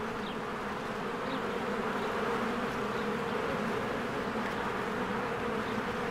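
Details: Spring honeybee colony working at its cozy hive, many bees flying in and out; thick continuous buzz with a humming band, plus a few faint high chirps from birds scattered through.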